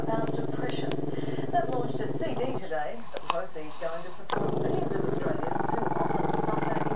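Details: Camera-shy Maltese-Shih Tzu pup Chester growls at the camera, a low steady buzzing rumble that stops for a burst of human talk, then picks up again just as deep.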